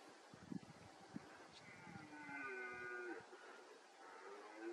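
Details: A red deer stag (Cervus elaphus) gives a drawn-out, moaning roar with a strong harmonic tone during the September–October rut in a forest of Bucegi Natural Park, Romania; stags roar to intimidate rivals.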